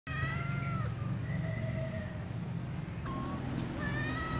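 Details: Ginger and brown cats meowing to be fed, with other cats present: several faint, drawn-out harmonic meows, some falling, one short rising cry near the end, over a steady low hum.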